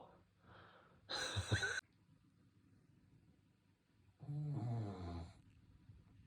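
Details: Shih Tzu snoring while sleeping: a sharp, breathy snort comes first, then a long, deep, vibrating snore about three seconds later, with soft background hum between.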